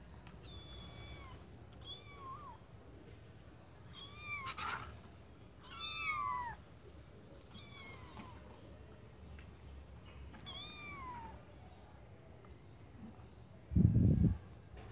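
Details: Kittens in a white bucket meow over and over, thin high cries that bend downward, about eight calls spread across the stretch, then a dull thump near the end against a low background rumble.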